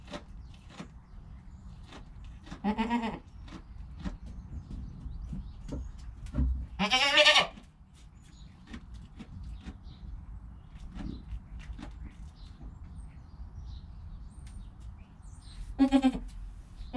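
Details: Newborn goat kid within its first hour of life, filmed beside its calm mother: a few loud, harmonic, quavering bleats around three, seven and sixteen seconds, separated by quiet stretches with soft rustling and clicks.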